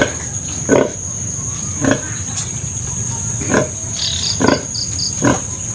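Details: Sow and her five remaining piglets from a litter of twelve: short, sharp squeaks or grunts repeating roughly every second, with thin high chirps late on and a steady background hiss.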